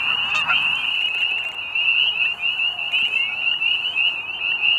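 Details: Chorus of spring peepers calling to mate at Middle Creek Wildlife Management Area, Pennsylvania, as days warm near spring: dense, overlapping high shrill peeps merge into a continuous ringing trill, with a faint goose honk near the start.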